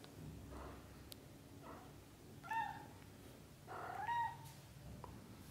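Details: British Shorthair kittens under a month old, litter of Leo and Samel, growing up from birth to 30 days: two clear, thin, high mews with a slight rise and fall, preceded by fainter squeaky cries over a low background rumble.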